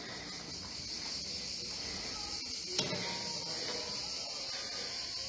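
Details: Cicadas on the grounds of a chateau in Provence, France, in summer in late June at about 80 degrees, fill the air with a steady, high, hissing buzz that never pauses.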